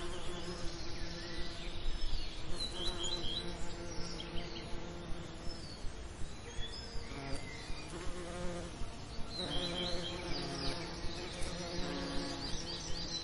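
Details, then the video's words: Bees buzzing among summer lavender: a steady low droning hum with rich layered overtones that swells and fades as insects pass close, with thin high bird chirps scattered above. "Relaxing Lavender Summer Ambience & Bee Sound Effects"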